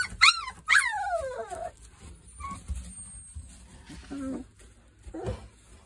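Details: Three-week-old Boerboel puppies from a Kodak and Rhianna litter give two loud high yelping whimpers that slide downward, then quieter squeaks and a short low whine near the end.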